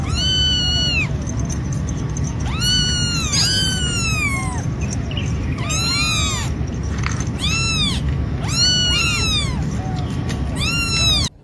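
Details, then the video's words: Cat meowing repeatedly, about eight arched, slightly plaintive meows at irregular intervals, some short and some drawn out, over a constant low rumbling background. "The Most Wonderful Sound of The World"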